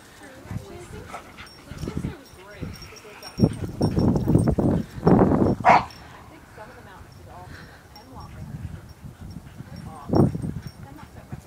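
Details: Dogs going crazy at play produce bursts of rough barking and growly noises, with the loudest cluster in the middle and another bark near the end, amid human speech.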